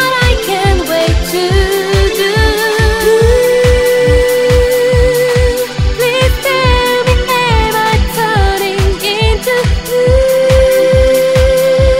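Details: Loud Asian pop song with a sung melody, layered instruments and a driving, evenly spaced drum beat throughout, with no animal sounds.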